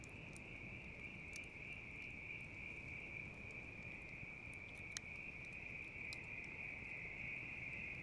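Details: Steady high trill of bell crickets with a faint pulsing shimmer, overlaid by sharp wood-fire crackles, one loud snap near the middle, against a low murmur of flames.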